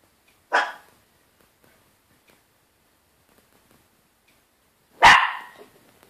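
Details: A small pedigree Yorkshire terrier gives two sharp, high barks several seconds apart in a quiet room, barking because the curtains were closed.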